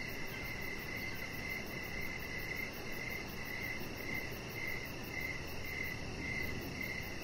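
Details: Crickets calling outside in the evening while a chihuahua named Rocket lies on a decorated deck; rhythmic chirps just under two per second, high and clear, over constant broadband background hiss.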